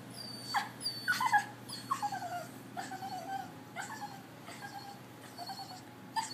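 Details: A Bichon Frise dog crying like a baby on the Fourth of July, giving a run of high, whiny whimpers that slide downward, irregularly spaced, over a faint steady hum.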